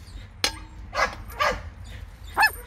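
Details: A 21-day-old Border Collie mix puppy, one of a litter just beginning to walk, gives a few brief, high squeaky yips spaced about half a second apart.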